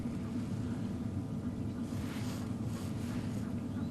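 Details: A steady low engine rumble with wind noise, and no animal calls can be picked out.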